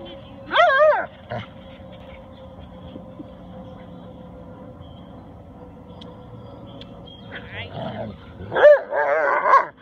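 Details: Max the Husky/wolf cross chatters at his playmate Tor, a silent Rottweiler: a brief wavering whine, a long quiet stretch with faint rustling, then a louder burst of warbling, yodel-like talk at the end.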